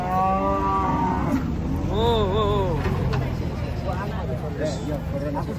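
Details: Cattle being unloaded from a truck: a long, steady, low moo with rich harmonics opens, followed by wavering, bending lowing calls. Background engine rumble, music and human voices continue throughout.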